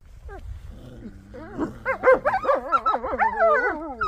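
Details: Captive wolves at Polar Park in Norway begin howling together: a low growl and a voice give way to several overlapping wavering howls that rise and fall and build in loudness.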